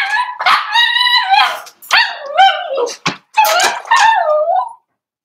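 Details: Cavalier King Charles Spaniel puppies, four weeks old, in an indoor pen while being socialized with older dogs; loud, high, wavering cries in several bursts, each rising then sliding down, with short pauses between.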